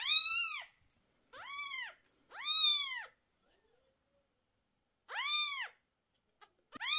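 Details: Domestic cat crying indoors while eye medicine is put into two sore-eyed kittens, 11 days old, upsetting the mother. Four loud, arched, wailing meows come at uneven gaps, each about half a second long, with a short start of another at the end.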